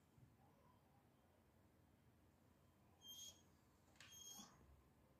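A Vizsla gives two brief, high, squeaky whines, asking to be let out to play.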